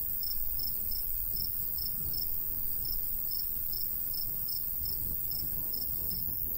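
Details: High, regular cricket chirps, roughly two every second, rise from a golden wheat field in summer under a heavy, gusting breeze.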